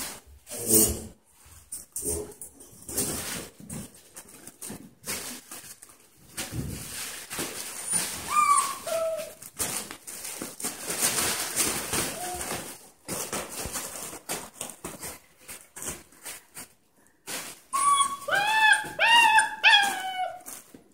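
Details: Goldendoodle and poodle puppies born in 2016 playing indoors; high squeaky whimpers and yelping whines cluster rapidly near the end, over steady scuffling, thumps and rustling of play.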